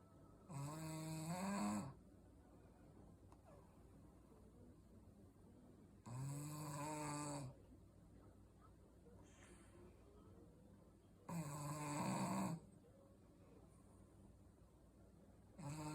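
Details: Shih Tzu snoring indoors in a small room: deep rasping snores about 1.3 seconds long, spaced roughly five seconds apart, with softer wheezy breaths between them.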